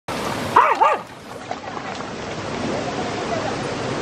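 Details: Swimming Jack Russell Terrier gives two quick, high, arching yelps in close succession, then falls silent while steady rushing water noise fills the rest.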